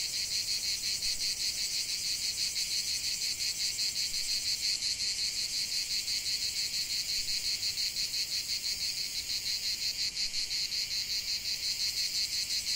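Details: Loud cicada song from a lavender field: a sustained shrill buzz broken into rapid, evenly spaced pulses, about three per second, without pause.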